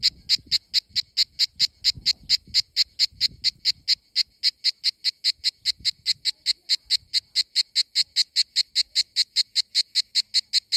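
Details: In Greece during summer, a cicada pulses a shrill, scratchy buzz in a fast, steady beat of about four to five bursts per second, with some faint low background thumps early on.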